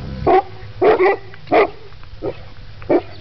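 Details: Eleven-month-old Mastiff pups at play with a horse bark in loud, harsh bursts, one doubled, five in all over three seconds, against a faint low background hum.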